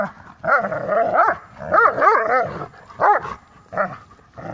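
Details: Two Dobermanns playing tug-of-war give bursts of gruff, rising-and-falling barks mixed with throaty growls.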